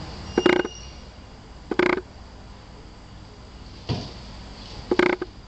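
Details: Red and black Tosa Inu, a female and her six-week-old puppy, Ajsinka and Quinny Bella, at a Tosa kennel; four short, tonal, harmonic yelps spaced about a second apart against a quiet room hum.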